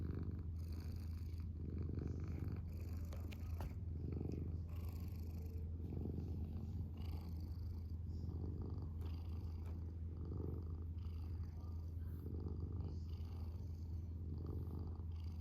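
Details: Indoor male house cat purring continuously, the low rumble swelling and easing with each breath roughly every two seconds.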